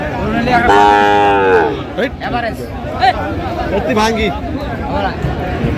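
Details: Sahiwal bull at a busy cattle market, bought by a farmer from Sylhet as the best of the market on 10 January: one loud, drawn-out, rich harmonic moo of about a second, then men chatting and bargaining nearby.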